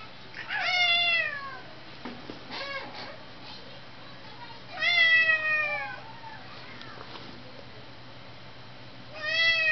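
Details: Two tomcat brothers fighting indoors, an orange tabby named Blossom and a grey one named Gadget: loud drawn-out yowls with falling harmonic bands, three bursts roughly every four seconds, over a low steady room hum.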